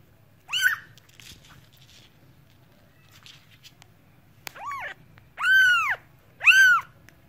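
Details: Cat meows: a short high call early, then quiet rustling, followed by three clear arched meows in the last few seconds, the final two loudest.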